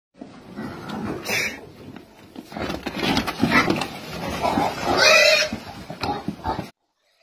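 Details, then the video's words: Pig being caught on a farm, squealing and grunting loudly in harsh, noisy bursts that build in intensity toward the end, with rustling and handling noise throughout. "Difficult Catch Pig Farm"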